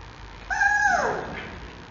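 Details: Six-week-old male giant panda cub at a zoo, filmed in the morning on 5 October 2020 while calling its mother: a single clear, whining squeal under a second long that holds steady, then slides downward and fades.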